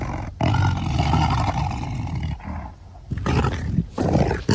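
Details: Tiger roaring: a sustained deep, rumbling roar of nearly two seconds, followed by two shorter, throaty bursts with brief quiet gaps between them.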